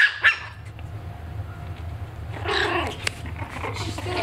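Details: A Maltese puppy barks at his own reflection, giving sharp, high-pitched yapping barks in short bursts over a low hum.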